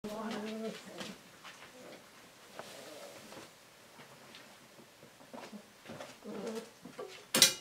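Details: Husky puppies try drinking water for the first time. Brief high, tonal whimpers open the clip and return near the end, with soft scattered clicks and taps in between.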